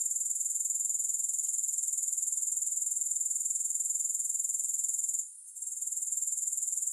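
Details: Grasshoppers' dense, shrill pulsing trill, no music, steady and regular with a single brief dip toward the end before the sound returns.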